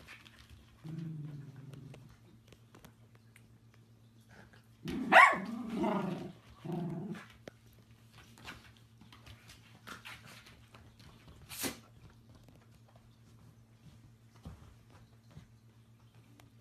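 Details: Dachshund indoors: a short low rumbling growl, then a loud burst of harsh barks and a second growly bark mid-clip, followed by faint clicks and a steady low electrical hum.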